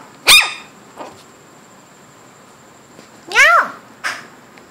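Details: Shih Tzu puppies nearly eight weeks old, inside the home. One loud, sharp yelp opens, then a pause of about three seconds. A longer, sliding yelp follows, then a short softer yip. All are high-pitched and bright, with descending pitch sweeps.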